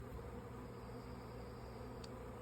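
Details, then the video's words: Honey bee swarm in flight about 50 feet up, arriving on May 24, 2024, near stored beekeeping equipment; a faint, steady low droning hum with even tonal bands runs throughout, with a brief higher click near the end. "Honey Bee Swarm # 1 - swarm"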